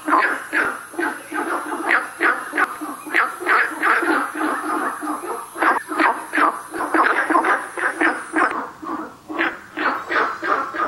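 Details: Günther's frogs at South River Valley in a busy chorus of short, coarse barking calls, nearly three per second, several individuals overlapping, with a thin high hiss fading midway.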